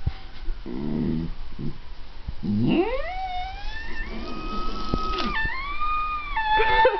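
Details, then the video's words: Adopted female Chinese Shar-Pei howling in imitation of a passing ambulance siren, a habit begun after a tropical storm brought emergency vehicles to the neighborhood; low grumbles give way to a rising then long level wavering howl, owner's voice and faint music behind. "Sheba the Shar Pei's Ambulance Imitation"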